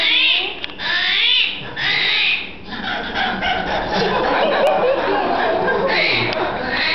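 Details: Screaming armadillo (Chaetophractus vellerosus) in the South America exhibit of the Desert Dome at Henry Doorly Zoo, Omaha, Nebraska, heard behind the scenes with a zookeeper: harsh, wavering squealing bursts at the start and end, with people murmuring between.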